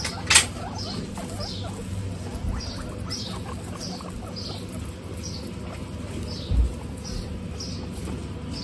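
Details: Several female guinea pigs in a group on a hot day, with a run of short, high, downward-sliding squeaks repeated about every half second over steady low rustling and a couple of louder knocks.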